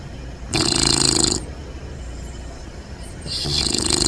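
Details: Bentley the Bulldog puppy asleep upside down, snug and comfy, giving a loud raspy snore-snort lasting nearly a second, a quiet pause, then another rough breath starting.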